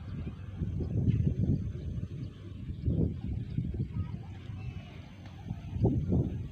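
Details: Hoofbeats of the racehorse Raja Tanpa Nama, one of three horses on the field doing light training before the 2023 Gayo traditional horse race; dull, low thudding strikes come in uneven clusters over steady outdoor background noise.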